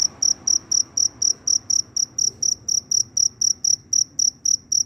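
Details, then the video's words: Loud cricket roaming after rainfall to find a partner; sharp high chirps come evenly, roughly four each second, clean and ringing over a quiet background. "Suara Jangkrik Berderik Super Keras, Setelah Hujan Turun Jangkrik berkeliaran mencari pasangan."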